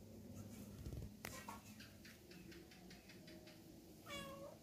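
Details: Mother cat named Mini, moving her kittens to a cramped, dirty chicken coop, gives one clear drawn-out meow near the end that rises then falls. Earlier there are soft knocks and rustling in a quiet setting.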